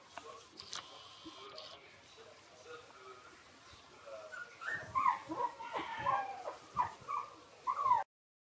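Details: Three-week-old Shiba Inu puppies: quiet rustling and faint squeaks at first, then from about five seconds a run of thin, high whining squeals that bend up and down, coming roughly every half second until the end.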